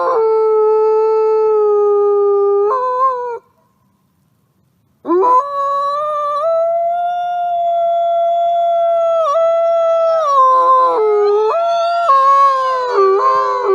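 A wolf gives long, smooth, mid-pitched howls, holding steady notes before sliding up or down.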